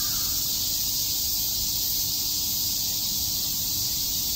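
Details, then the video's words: High, unbroken droning chorus of cicadas chirping in Tokyo's Shakujii Park in summer, steady throughout, with one faint short call at the very start. "Cicada chirps"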